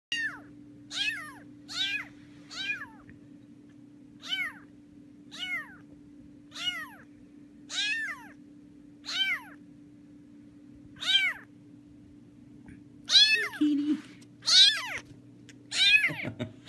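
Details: Young rescued kitten wandering around an apartment, giving thin, high-pitched arched meows about once every one to two seconds, louder and more rapid near the end, over a steady low electrical hum.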